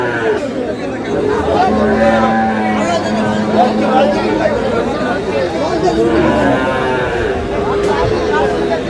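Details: Cattle at Aftabganj market in Dinajpur, 1/8/26, where improved-breed dairy cows and calves are traded; several overlapping moos, one long and steady, sound through busy chatter and bargaining voices.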